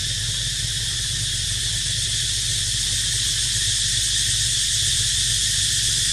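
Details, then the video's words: Cicada chorus during a baby monkey's rest time, a loud, even, high-pitched buzzing hiss held without pause from start to finish over a low steady hum. "Amazing Sound Of Cicada Crying"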